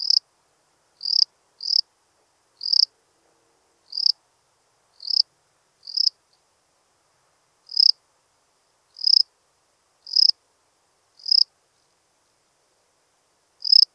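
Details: Lesser field-cricket song, Breitenbrunn, Austria, 23 May 2021. About twelve crisp, shrill chirps, each crescendoing briefly, repeat at irregular intervals of roughly one to one and a half seconds. A longer gap falls near the end. There is no other noise.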